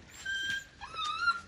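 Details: Siberian Husky in Nepal giving a brief whine: two thin, high tonal whimpers, the first steady, the second gliding upward at its end, with faint room noise and no voices over it.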